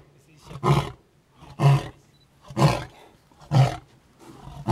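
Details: At the Edeni Game Reserve in 2011, a lion gives a series of deep, breathy grunting roars, repeated about once a second.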